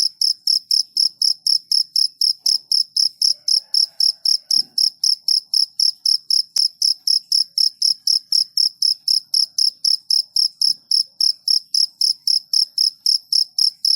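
A cricket chirps steadily, high-pitched pulses repeating about four times a second.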